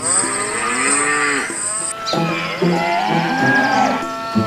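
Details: Cow mooing in long, drawn-out, slightly wavering calls, several moos following one another and overlapping, with a thin high steady whine during the first two seconds and faint background music.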